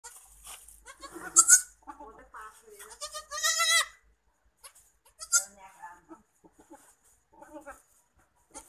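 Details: Black Bengal goat, a Bangladeshi breed, that has just given birth to two kids: short wavering bleats rise and fall among quieter murmuring sounds, with one long quavering bleat in the middle.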